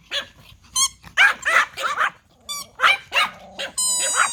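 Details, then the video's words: Toy Pomeranians yap at a whistle. Shrill, hoarse barks come in quick succession, with short whistle notes at the start and a steady whistle tone sounding at the close. "Pomeranian Toy Pom dogs barking at a whistle"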